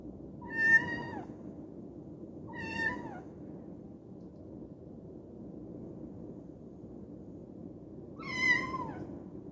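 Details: Koume, a young female Scottish Fold cat with folded ears, meows while shut in a cage, desperate to get out; three drawn-out falling meows, the last loudest, over a low indoor hum.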